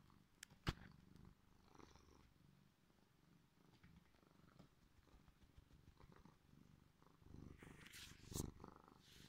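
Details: Sleepy male cat, apparently just woken up, purring: a low, steady rumbling throb runs through the whole stretch, broken by a few sharp clicks and a brief rustling burst near the end.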